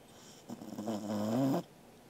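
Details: Corgi named Angela snoring in her sleep, 13 August 2021: one buzzy inhaled snore of just over a second, starting ragged and fluttery, then smoothing into a tone that climbs in pitch before stopping sharply.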